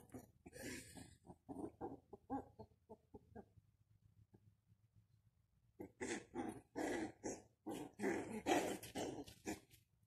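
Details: Two young male puppies, recorded between March and April 2020. Short bursts of whimpers and yelps in irregular runs, with a quiet pause of about two seconds in between.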